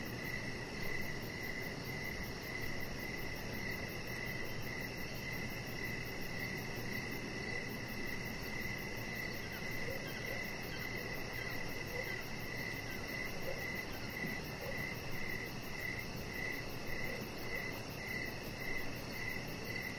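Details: Crickets in the evening around a lit-up deck where the chihuahua puppy Rocket relaxes; rhythmic chirps pulse about twice each second for the whole stretch, layered over a continuous high-pitched insect drone.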